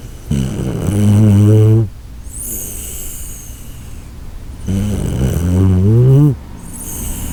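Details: Koharu, a sleeping Shiba Inu, snores in two long, deep rumbles like a ship's horn, each about one and a half seconds and rising slightly in pitch, with thin, high whistling exhales between them.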